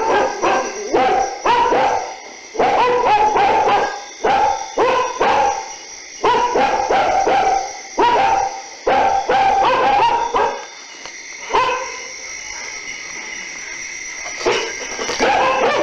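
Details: Dogs barking during the night in bursts of rapid, sharp barks separated by short silences, tailing off toward the end over a constant high whining drone in the background.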